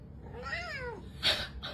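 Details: Domestic cat giving a single drawn-out meow that rises then falls over about half a second, followed by a short rustling burst and a brief noise near the end.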